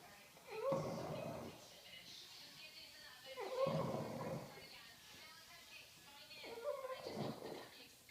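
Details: Daisy, a French Bulldog, snores loudly while asleep indoors. Each breath is a rasping snore that opens with a brief whistly tone, and the snores come roughly every three seconds with quiet pauses between them.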